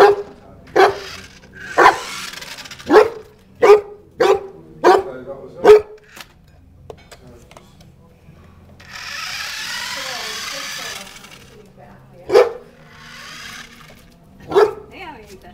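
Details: A one-year-old Newfoundland dog barks while playing with a toy car: a run of about seven sharp, evenly spaced barks, then a rustling scrape, and two more single barks later, with a faint voice in the background.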